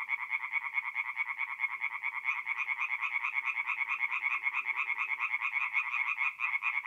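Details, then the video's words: Tree frogs singing at night in a forest pond in north-east Italy in mid-April: a dense chorus of rapid, nasal, pulsed croaks repeated several times a second, overlapping callers forming a steady rattling wall of sound. "relaxing forest pond by night with singing tree frogs"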